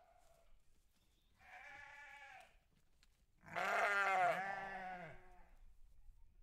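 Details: On a farm, sheep call in two bleats: a shorter, moderate cry followed by a loud, long, tremulous bleat with a wobbling pitch, against a quiet background.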